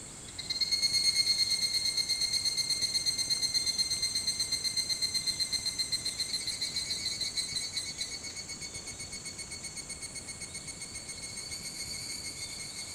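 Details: Evening cicada (higurashi) calling at 4:30 a.m. on 28 July 2011, Hitotsubashi University campus, Kunitachi, Tokyo: a loud, rapidly pulsed ringing trill that swells in the first second, then slowly weakens over thirteen seconds.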